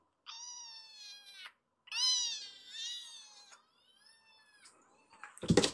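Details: Foster kitten, wound up after petting, yowling while scaling a man like a tower; two long, bright meows with falling tails, then quiet rustling and a sharp burst of handling noise.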